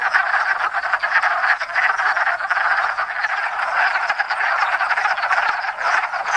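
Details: Spring gathering of wood frogs, Lithobates sylvaticus, at a pond in Enosburgh after winter frozen in leaf litter; dense overlapping clucking croaks swelling and dipping in loudness, individual calls pulsing through the chorus.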